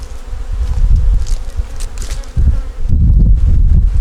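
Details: Low, dense humming of a honey bee nuc colony working to get through winter, heard at a hive inspection; the drone pulses unevenly in strength, with no voices.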